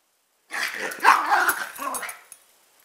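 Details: A chihuahua/pug mix and a rat terrier/pitbull/jack russell/beagle mix kept as pets; one drawn-out, rasping bark that trails into a lower growling sound over about two seconds.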